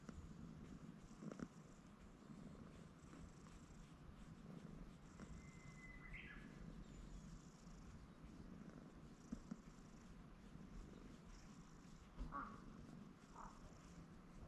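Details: Cat that was perched on a handrail and climbed down to the ground to be stroked more, purring in a steady, low, continuous rumble throughout. A brief rising bird whistle and a few soft clicks and rustles are also heard.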